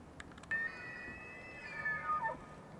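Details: A bull elk bugles in the early morning, with his breath visible, during the annual rut in Yellowstone National Park: a high, steady whistle that holds for two seconds before sliding down.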